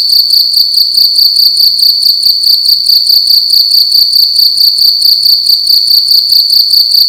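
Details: Loud indoor cricket at night in a room, producing an unbroken piercing trill made of fast, evenly spaced pulses, roughly ten to twelve per second, holding one high pitch throughout; nothing else audible.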